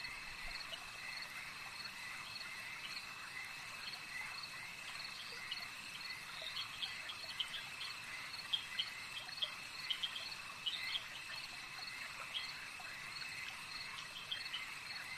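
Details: Frogs calling at a lake in a nighttime nature ambience: a dense, steady high-pitched chorus of short chirping pulses scattered irregularly, layered over constant insect-like buzzing bands, with no voices or music.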